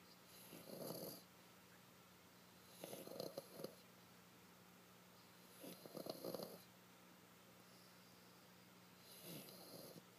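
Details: French Bulldog asleep in its owner's lap, snoring steadily. Soft, rasping snore bursts come roughly every three seconds, each about a second long, in a quiet room.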